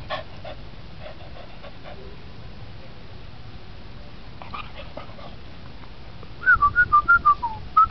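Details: Dog at a villa in Puncak, Bogor, giving a run of short high whimpering yelps near the end, rising and falling in pitch, after softer scattered whines earlier; quiet background hum throughout.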